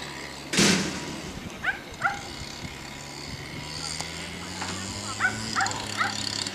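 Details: Sighthounds at a lure-coursing track training session at Kauppi, Finland, on 13 May 2014. The clip opens with one loud bark, then gives a scatter of short, higher yips over a steady low mechanical hum.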